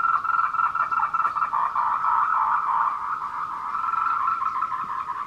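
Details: Tree frog courtship chorus on the Meiling Wulong trail in Nanxi, Tainan, Taiwan, at 14:00 on 26 April 2018, recorded with a Canon PowerShot camera. It is an unbroken, buzzy run of fast pulsed croaks at a steady mid pitch.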